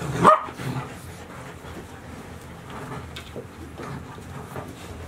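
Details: Golden Retriever puppies, 72 days old, recorded in July 2018 with six puppies together; a single sharp yap near the start, then quiet rustling and faint shuffling sounds.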